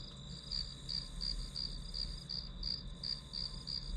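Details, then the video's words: Grass insects heard as study background ambience: a steady train of short, high, ringing chirps, about three per second, over a soft low hum. "풀벌레 소리"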